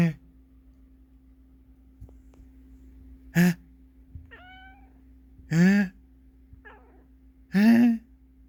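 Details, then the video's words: Domestic cat that dislikes sneezing sounds meows three times, once short and twice longer with rising-falling pitch, after brief sneeze-like human noises, about two seconds apart, over a constant low hum indoors. "재채기 소리를 싫어하는 고양이"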